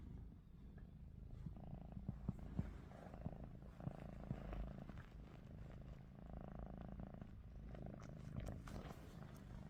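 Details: Low, continuous rumbling snore from Ruby, a house cat dozing with eyes open, swelling and fading in breath-length cycles with faint scattered taps.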